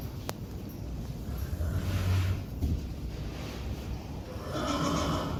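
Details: Friesian horses in a herd being fed pellets; a low, rumbling nicker sounds near the middle amid steady muffled background noise and faint shuffling.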